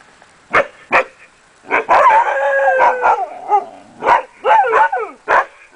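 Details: Akita Inu puppies from the Empire des Samouraïs kennel: sharp yappy barks mixed with long whining, wavering whimpers in the middle, then more quick barks.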